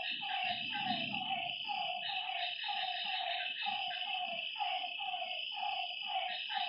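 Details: Night chorus at a lake, where frogs give quick downward croaks in a regular run of roughly two per second, set against a continuous buzzing insect hum high above.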